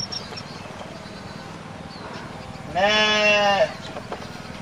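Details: Domestic goat uttering a single strong, steady bleat lasting under a second, rich in harmonics, against a low background hum.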